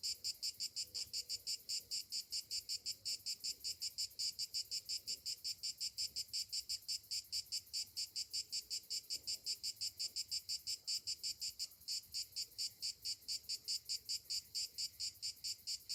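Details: On a summer morning, cicadas keep up a continuous high, rasping drone that throbs in rapid regular beats near three per second, with a brief dip near the end.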